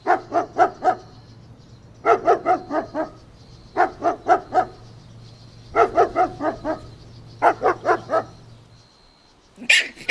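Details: Golden Retriever puppies playing outdoors in a green meadow, barking in tight bursts of four or five sharp barks, a burst about every two seconds, with a faint low hum underneath.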